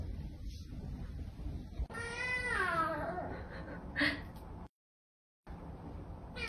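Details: Domestic cat meowing indoors: one drawn-out, wavering meow with a falling tail, followed by a short second meow, over low background hum; sound cuts out briefly near the end.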